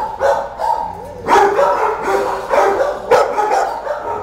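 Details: A dog at an animal shelter barking: a handful of loud, hoarse barks in uneven bursts, in an echoing space.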